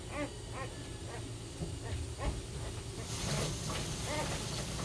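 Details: Puppies crying loudly as they compete for attention; a series of short, rising-then-falling whimpers repeats about every half second over a low steady hum, with a hissing noise later on.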